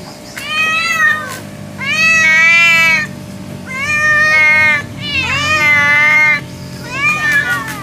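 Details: Talking cat Khunka meows repeatedly: long vocal meows of one to one and a half seconds each, wavering up and down in pitch, about five in sequence, with a steady background hum.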